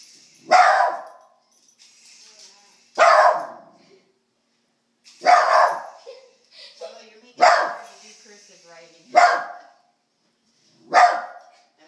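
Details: Pet dog Apollo barks at a remote control toy helicopter in a small room, giving six sharp, loud barks spaced about two seconds apart, with quiet human voices murmuring between them.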